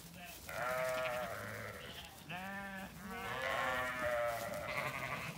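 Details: Freshly shorn Zwartbles sheep on a regenerative farm in County Kilkenny, Ireland, heading out to the orchard after shearing day before a heatwave; several harmonic, wavering bleats overlap from the flock, with faint background music.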